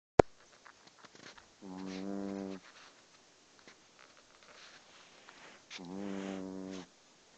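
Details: Pet dog snoring while asleep; two low, droning, buzzy snores about a second long each, roughly four seconds apart, with a sharp click at the start and quiet rustling between.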